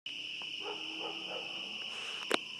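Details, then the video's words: A dense spring peeper chorus at night in coastal southern Maine, about 70 dB against a usual 45, is almost deafening: a steady wall of high, piercing peeps blending into one ringing tone, with dogs also present. "Tree frog chorus"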